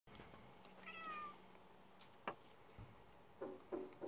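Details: Donald, a male pet cat, gives one short, smooth meow lasting about half a second, steady in pitch and then dropping away, followed by scattered soft clicks and knocks.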